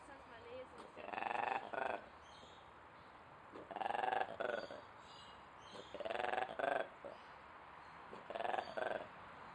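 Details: Ape at Duisburg Zoo making weird noises: four loud, pulsed, harmonic bursts, each split into two quick parts, spaced roughly every two to two and a half seconds, with quiet background between.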